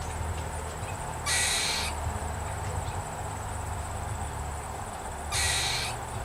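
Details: An upset squirrel in a backyard gives two harsh, hissing alarm calls about four seconds apart over a steady low hum, part of a long bout of alarm calling.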